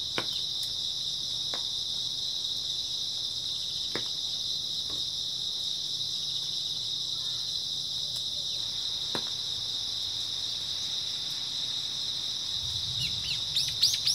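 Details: A steady shrill trill of grass insects fills an early autumn night, with sparse clicks, and a brief louder rustling disturbance with a short rising chirp in the final two seconds.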